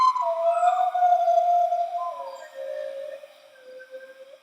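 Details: Bornean white-bearded gibbon (krawet in Dayak Ngaju) in a duet of two singing females, with a male joining at the end. Long sustained pure hooting tones slide and waver, fading gradually into softer drawn-out notes.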